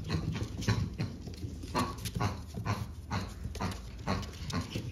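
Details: French Bulldog puppy from a March 14 litter, full of energy, huffs in short rhythmic breathy bursts a little over two per second, with soft thumps and shuffling indoors.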